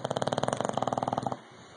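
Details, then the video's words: Rocky, an English bulldog, snoring loudly: a fast rattling buzz of rapid pulses for over a second, then stopping abruptly and leaving only a faint hum in the room. "English Bulldog Rocky snoring..... Loud"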